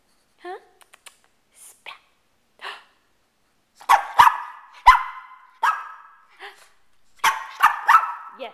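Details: Male pet Shih Tzu dog barking: a few soft whines and yips at first, then a run of loud, sharp barks, some in quick pairs, while a person talks to him between bursts.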